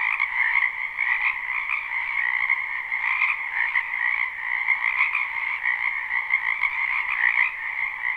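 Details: Many wild frogs croaking in a spring wetland behind a house, recorded live without looping: a dense, unbroken chorus of trilled croaks in a low and a higher band, with soft pulsing swells throughout.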